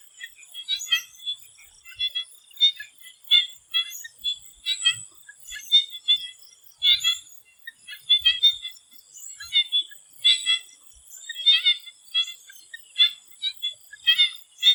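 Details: Swamp frogs calling in Thailand before sunset: a dense chorus of short, clicky, pulsed notes in overlapping bursts, with a steady high insect-like hiss running underneath throughout.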